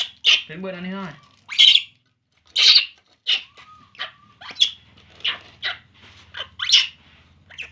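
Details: Baby monkey Poo crying during milk feeding: piercing high squeals roughly once a second, interrupted early by a short spoken phrase from a person nearby.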